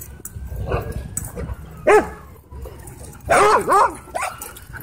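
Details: Dog at a dog park giving a few sharp yelping barks, one near two seconds and a tight cluster of three later, amid faint background noise and a distant high whistle-like tone.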